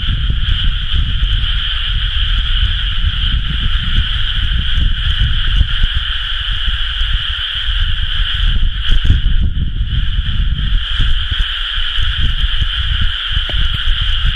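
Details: Frog chorus from flooded rice fields in planting season, recorded 30 May 2011; a steady, shimmering mass of calls runs the whole time, briefly thinning near the middle, with gusty low rumble underneath.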